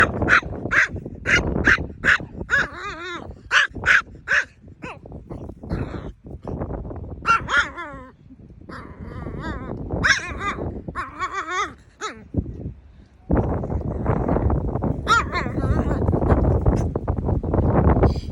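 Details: Chihuahua, a mini female pet, barking funnily: rapid sharp high yaps in bursts, with whiny harmonic whimpers between; a loud broadband rushing noise fills the last third.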